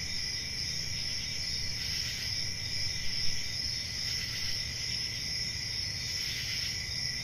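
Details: Many crickets keep up a continuous, ringing high trill. The chorus swells slightly in places, with a noticeable low rumbling hum beneath it.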